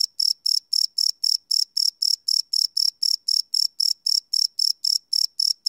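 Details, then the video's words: Crickets chirping at night, recorded live: sharp, high trilled pulses repeating regularly about four times a second, clean and uninterrupted, background otherwise silent. "Cricket Chirp Sound - Cricket Sounds at Night"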